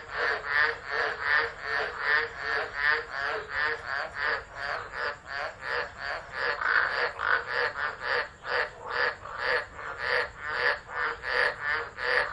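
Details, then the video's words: Many frogs singing through a tropical storm at Driver, Northern Territory, Australia, December 2013, phone set down and left running; steady rhythmic pulses of croaking swell and fade about once a second in a thick, unbroken chorus. "Tropical Storm Frogs Singing"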